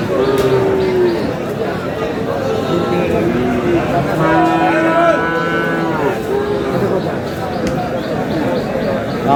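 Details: Cattle at Aftabganj market in Dinajpur, Bangladesh, among Friesian and crossbred bull calves, on 22 August: drawn-out lowing moos rise and hold over the hubbub of talking people, with more bellows overlapping in the busy crowd.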